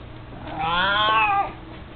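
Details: A single drawn-out meow, close to a second long, from Mico, an 18-year-old mostly blind, chubby cat fond of his toy mouse. The rich harmonic call rises gently, then holds and falls away at the end.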